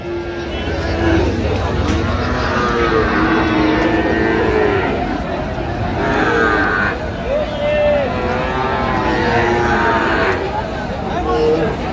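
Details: Friesian and cross-breed bull calves at Raniganj cattle market in Dinajpur on 16 October 2025, several deep moos with rising and falling tones, repeated over a dense background of crowd chatter and traders talking.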